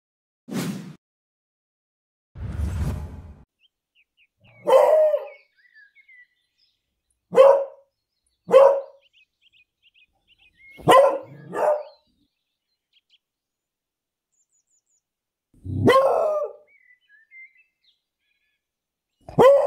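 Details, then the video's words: An English beagle barks loudly in a city park while out on a walk, giving sharp barks at irregular intervals, some in quick pairs. "Beagle barking in the city park. Loud english beagle dog sound."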